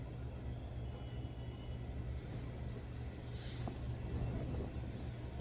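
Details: A steady low engine rumble from a passing vehicle fills the recording, with no animal voice heard.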